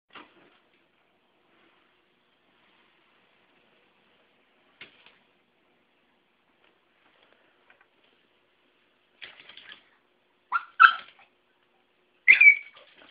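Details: Bella, a pet Chihuahua, barking at a broom during sweeping, a habit that has turned into a game: soft scattered taps in a quiet room, then two or three sharp, high, yappy barks close together near the end.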